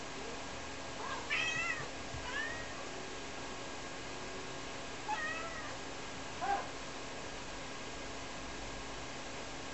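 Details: Calling for her unseen owner, the Ragdoll Rara, aged two, meows repeatedly inside a cramped house: three bent harmonic cries around 1.5, 5 and 6.5 seconds against a constant appliance drone.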